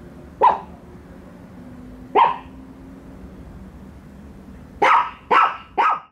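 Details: Two pet dogs, Bico and Faith, barking at a toy dog on first meeting it: a single sharp bark, another about two seconds later, then three quick barks in a row near the end, over a faint steady hum.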